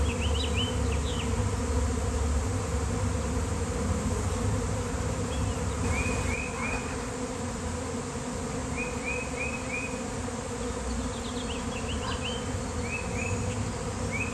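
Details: Honeybees swarming in their thousands by an electric line on a fine day, a beekeeper nearby: a steady low drone, slightly fuller early on, with repeated short bird chirps in small groups in the background.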